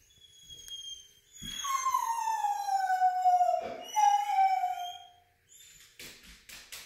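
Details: Female foxhound left at home while her owner went for a run, howling in distress: a soft lead-in, then a long descending wail, a second shorter howl, and faint whining and clicks at the end.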